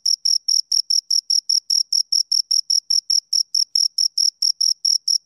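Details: Rapid, high-pitched chirps from two crickets, each a brief scraping burst, repeated with a regular, slightly uneven beat against silence.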